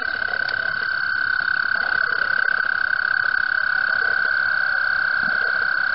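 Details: Frogs chirping at Mt Gretna in spring, the mating season, their calls rippling circles across the water; a steady, unbroken high trill with overtones holds throughout, with faint scattered clicks beneath.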